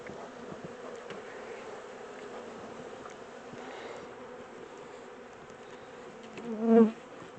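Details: Captured honey bee swarm being rehoused from a small temporary box into a bigger hive: an unbroken low hum, then one bee buzzing loudly past close by near the end.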